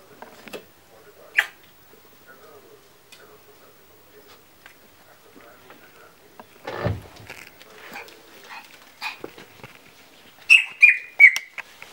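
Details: A young Yorkshire Terrier puppy, born with short vocal cords, gives thin, shrill, squeaky yips like a parrot, apparently frightened, while a woman softly calls it to come; Yorkshire Terrier.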